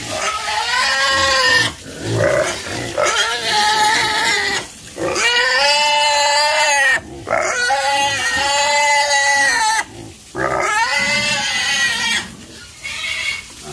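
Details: Farm pigs let out drawn-out, piercing squeals in five or six bouts of one to two seconds each. Clear pauses separate the bouts, and the pitch arches up then down within each cry.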